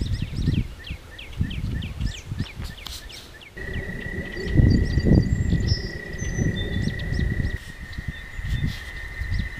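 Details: Night chorus of toads beside a walking path, a long level trill starting partway through and running without a break, while heavy low rumble and thumps and a few high bird twitters sit around it.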